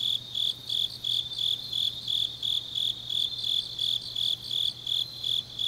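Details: Night chorus of grass insects in deep autumn, Changnyeong, Gyeongnam, Korea: bright, shrill trilled pulses recur in a regular beat near three per second, with a quiet low hum in the background.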